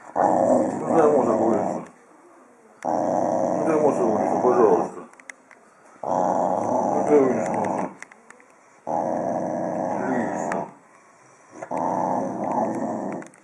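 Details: A friendly corgi growls in five long, rough, buzzy bursts of about two seconds each, separated by short pauses, low and throaty with a steady sustained rumble in every burst.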